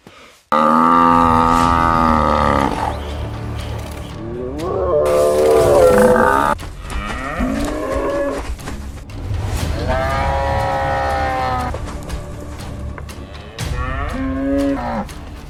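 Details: Wild male African buffalo in Zambia fighting for power within a herd, contests that impose and reinforce order; several loud, drawn-out harmonic bellows, some rising then falling, overlapping at times, with low background music throughout.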